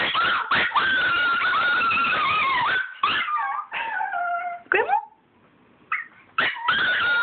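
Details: Chihuahuas excited to go see grandma, giving long high whining whimpers and howl-like cries that waver and bend in pitch, broken by short yips and brief pauses.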